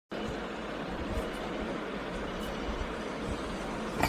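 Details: Continuous roadway rumble of passing vehicles and engine noise, with no animal sound audible.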